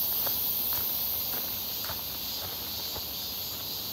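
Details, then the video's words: Midsummer cicadas near Seonbawi, 1 August 2023, a clear hot day, heard on a walk: steady high shrill buzzing drone, fainter than the footsteps crunching at regular intervals. "부쩍 많아진 매미소리"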